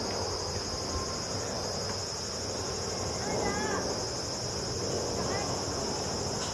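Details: A large brown cicada sings from a zelkova tree beside the Tamako cycling road near Higashimurayama Central Park, Tokyo, at about 14:44 on a clear 15 October 2012 (high 26°C): a steady, sizzling drone like frying oil over low rumble.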